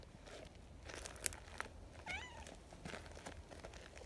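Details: Community cats at an outdoor cat gathering, a plump brown tabby staying close to a shy new tortoiseshell; a single short meow with bending harmonics midway, surrounded by rustling, crinkling and small knocks.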